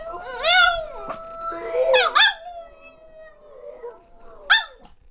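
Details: A female Boston Terrier howls along in a duet, in wavering, whiny tones that rise and fall, with short yips between.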